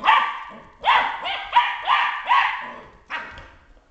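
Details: A Border Collie confronting a dust mop gives a rapid series of five loud, harmonic barks, each with a rising onset, about two per second, ending in a final bark.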